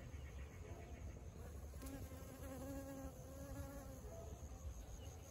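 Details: A small bee, described as different from other bees and somewhat hornet-like, visits a coriander field to gather nectar; a steady, low droning buzz with faint overtones holds through the middle seconds over a rumbling, wind-like background.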